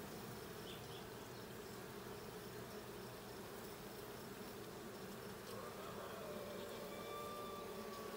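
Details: Hive check at the blue honey bee hive, 20 June 2022: continuous buzzing drone throughout, with a few faint, thin whistled tones appearing in the last few seconds.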